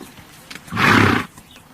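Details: Horse giving a single harsh, breathy burst lasting under half a second, broad and noisy rather than tonal, over a quiet outdoor background with faint bird chirps.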